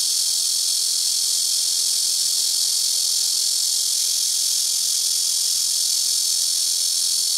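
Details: Very loud black cicada chorus from trees around a rooftop, several insects taking turns: an unbroken, high, shimmering buzz that stays level throughout, with a faint low hum beneath.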